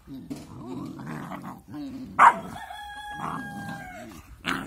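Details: Two cute but angry puppies at play together; a drawn-out whining howl with steady clear tones rises midway, framed by soft grumbling and scuffling.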